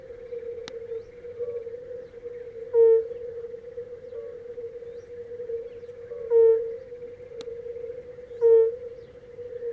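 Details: Singing red-bellied toad, nostrils visibly moving: three brief, soft, low hooting notes spaced a few seconds apart, each mellow and flat in pitch, against a constant even background hum.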